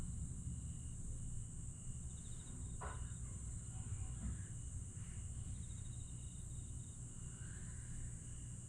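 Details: Grass insects at night in Aewol, Jeju, July 2022: an unbroken high shrill hum and faint trills, with a few brief higher chirps and a low rumbling background.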